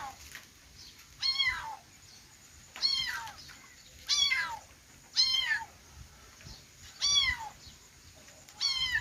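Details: Kittens meowing in a steady series of seven high, arched, harmonic-rich mews, each under half a second, spaced about a second apart over a faint background hiss.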